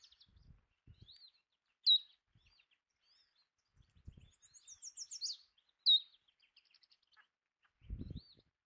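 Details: Belding's ground squirrels eating bird food: two piercing high squeaks four seconds apart, amid a thin descending bird trill, soft chirps and low handling thumps.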